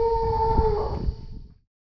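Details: A frightened Asian elephant calf stuck in a hole, with no mother nearby as men help it out, lets out a steady, nasal, harmonic moan that holds level for about a second, then fades away into silence.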